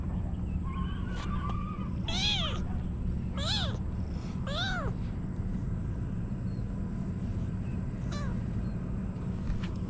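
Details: Female kitten meowing, apparently wanting to climb on top of her owner: three clear rising-falling mews near the middle, plus fainter ones early and late, over steady low hum.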